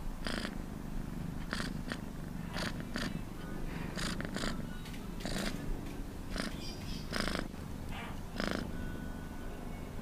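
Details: Close purring from a cat, a constant low throb overlaid with frequent, irregular breathy pulses.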